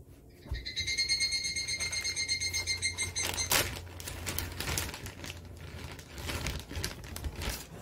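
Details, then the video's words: Japanese cicadas: a buzzy, evenly pulsed call with stacked overtones for about three seconds, then breaks off into scattered clicks and rustling. "일본 매미 모음"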